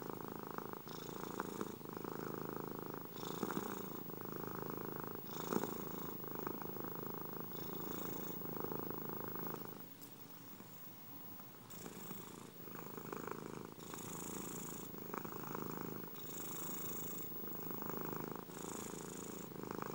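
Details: Steady purring from a domestic cat, a throbbing low rattle in regular breathing rhythm, a brief softer lull near the middle before the rumble resumes with airy inhalations.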